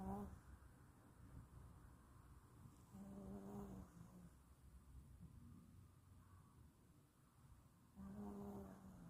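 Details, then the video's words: Pet dog sound asleep, snoring and unaware of being filmed: soft, low rumbling snores in slow breaths, with louder snorts near the third and eighth seconds over a quiet indoor hush. "드르렁코골이.찍는줄도모르고 자네요"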